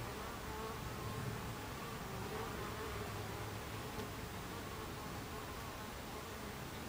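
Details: Dense droning hum of Buckfast bees crowding the hive entrance on 26 July 2013 at 14:30, low wavering tones layered over an even buzz, with a faint tick near the fourth second.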